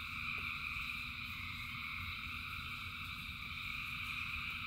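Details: A short stretch of frogs calling in rain: a thick, even wall of high rapid trills from many frogs at once, with a steady low patter of rain underneath.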